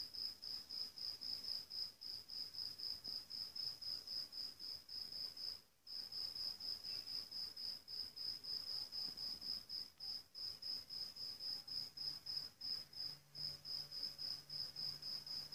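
A field cricket gives high, pure chirps repeated several times a second in a steady rhythm.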